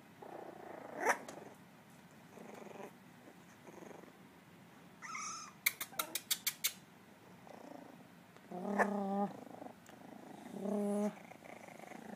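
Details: Three miniature dachshund puppies learning to bark and growl indoors; low rumbling growls with harmonic whining yelps, a quick burst of clicking taps midway, and a soft room hiss beneath.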